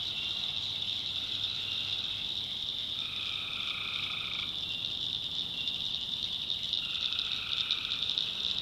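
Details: Night chorus of tree frogs from North Carolina backwoods swamp; a continuous high-pitched buzzing wall of sound, with a lower droning trill rising out of it for about a second and a half midway, then another near the end.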